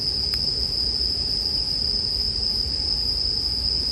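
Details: Bell crickets ring in an unbroken high-pitched drone beside a campfire, meant as soothing sleep ambience; one sharp crackle early on, otherwise a steady low fire rumble underneath.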